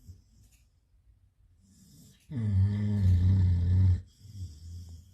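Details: Loud dog snoring: after soft low breathing, one long, deep, vibrating snore of nearly two seconds, rich and rattling, then quieter wheezy breaths resume.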